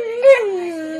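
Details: Dog chatting back at its owners: a brief vocal swoop that jumps up in a quick louder yelp-like peak, then glides down into a softer, lower sustained moan.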